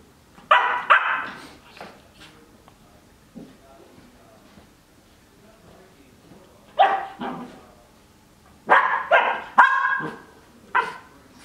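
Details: Twelve-week-old Cardigan Welsh Corgi puppy playing in a dog bed, giving short sharp barks in bursts: a pair near the start, another pair midway, then a quick run of four barks with quieter gaps between.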